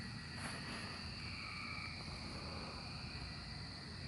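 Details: Emerging cicadas in 2024 keep up an unbroken high buzzing hum, with a brief rustle near the start and a constant low background rumble.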